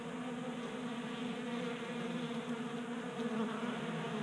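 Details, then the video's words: Honey bees active during unseasonal January warmth in Colorado, gathered at a tabletop 3D printed feeder in a garage; a thick, steady buzzing drone with rich overtones, slightly rising in loudness toward the end. "Honey Bees Feasting from 3D Printed Bee Feeder"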